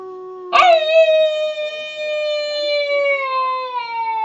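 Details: Wolf howling, recorded on an Android phone: a single howl opening with a sharp yelping burst, then a long, smooth, steady tone sliding slowly downward for over three seconds, rich in harmonics, in otherwise quiet surroundings.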